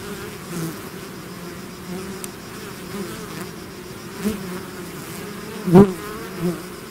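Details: Swarm of bees out of its hive: a low, steady buzzing bed with several individual bees zooming close, the loudest swelling sharply near the end, plus light clicks.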